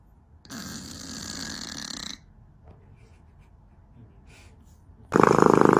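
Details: Sleeping domestic cat snoring: a rasping, breathy snore lasts about a second and a half, then a quiet pause with faint rustles, followed by a louder, harsher burst of sound at the end.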